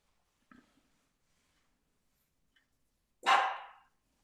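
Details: A female dachshund gives a single loud, sharp bark, asking to be let in.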